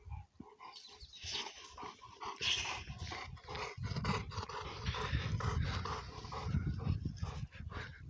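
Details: Pair of young, energetic Cane Corso Italiano dogs, father and offspring, wrestling in play; low sustained growls rumble underneath while sharper, noisier snarls and scuffles break in repeatedly over several seconds.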